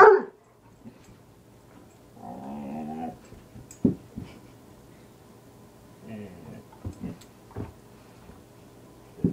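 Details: Dog barking at a piece of wood, the only one he dislikes: two drawn-out, growly harmonic barks several seconds apart, separated by sharp knocks and clicks in an otherwise quiet room.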